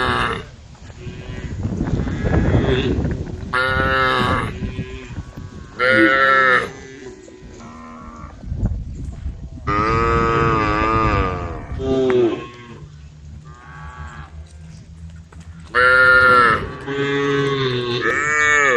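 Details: A herd of cows on the road calling to one another, with several overlapping moos of varied length and pitch spread across the stretch, some loud and drawn out, others brief, over a low rumbling background.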